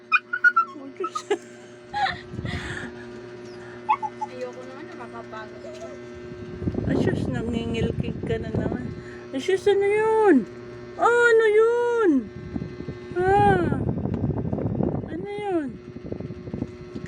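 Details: Pet dog whining excitedly after hearing a rat's noise and wanting to catch it: drawn-out, bending whimpers in several bursts, mixed with a woman's repeated excited exclamations in Filipino and faint background music.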